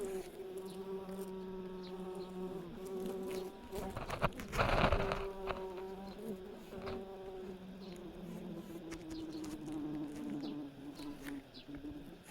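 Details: Red-tailed bumblebees at a ground nest that was dug up and raided by ants, with live cocoons holding larvae. A low droning buzz holds steady, then wavers and shifts pitch after a brief rustling burst in the middle.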